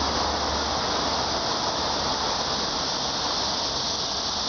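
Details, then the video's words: Continuous shrill cicada buzzing, a steady hiss-like wall of sound with no pauses, over a low rumbling hum. "매미 소리"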